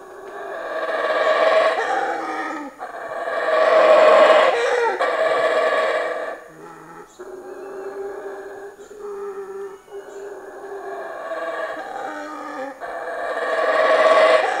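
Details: Howler monkey in tropical forest around a campsite at Escárcega, Campeche, Mexico, one feeding in trees about 5-6 metres away; loud, rough roaring howls swell in long surging bouts separated by brief lulls.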